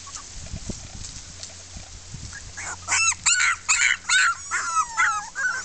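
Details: Six red female Miniature Pinscher puppies from a 2013 kennel litter voicing discontent after tasting freedom; quiet start, then a run of loud, high, arching whines and yelps repeated about every half second.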